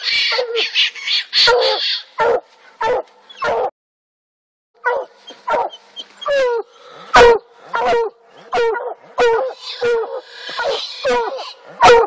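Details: Black and blue coonhounds barking treed on an Alabama coon hunt; quick yipping and chopping barks with a brief pause mid-way, then a renewed run of ringing harmonic barks, background hiss early on.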